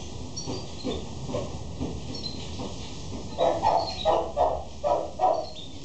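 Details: Male Shih Tzu dog barking: a run of five quick, mid-pitched barks spaced less than half a second apart in the second half, with faint high bird chirps and a steady hum in the background.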